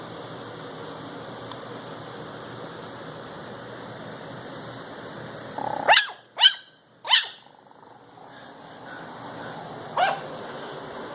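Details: A 10-week-old Chihuahua puppy barks at a dancing Christmas toy dog: three sharp, high yaps in quick succession midway through, then one more a few seconds later, over a steady droning background.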